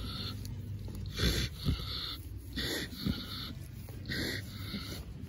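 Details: Ms Piggy, a pig, snoring as she falls asleep while being scratched: raspy, wheezy breaths repeated roughly every 1.4 seconds with soft low grunts between, plus rustling scratching noises.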